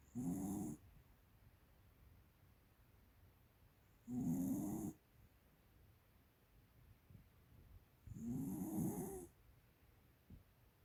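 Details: A 13-year-old female American Cocker Spaniel kept at home snores heavily, likened to an old man: three loud, rattling, droning snores of about a second each, coming steadily every four seconds in a quiet room.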